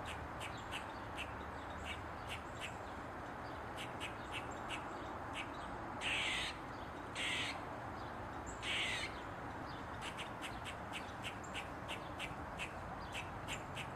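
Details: Tail wagging as it dances on a mushroom, an Eastern gray squirrel sends out three loud, rasping barks in the middle, framed by quick repeated ticking squeaks before and after, over steady low background noise.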